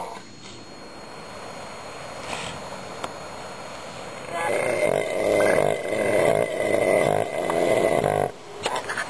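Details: Southern elephant seals at a South Georgia bay in early spring, where a harem with its first six pups gathers under an alpha bull: a low, nasal, throbbing grumble swells in the second half, rising out of quieter rumbling.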